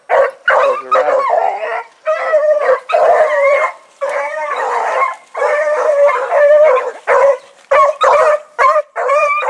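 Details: Blackreek dog pack, Choco, Dino, Johnny Ringo and Mingo, put down for an evening run on 16 August 2014; loud, near, continuous baying and howling from several dogs, long drawn notes broken by quick barks.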